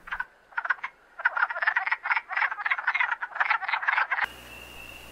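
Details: Male wood frogs calling at a spring breeding pool where pairs mate and eggs are laid: a bright series of short, raspy clucking pulses in quick clusters, a brief gap near the start, ending abruptly in a faint steady hum.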